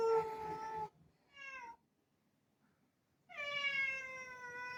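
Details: Rudy the black cat meowing for a door to open, August 2024: a long meow, a brief higher chirp-like meow, a pause, then a final drawn-out descending meow.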